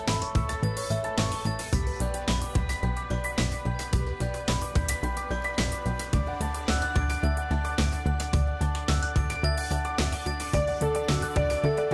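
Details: Upbeat background music plays throughout, with a regular pulsing beat, bass and bright instrumental melody, and no animal sounds.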